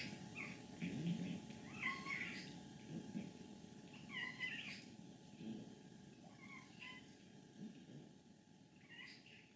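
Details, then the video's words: Soft, thin squeaky calls come from a contented 14-year-old female cat in Leutkirch im Allgäu, Germany. They repeat about once a second over a low rattling purr. "Alte glückliche Katze quiekt, rasselt, brummt"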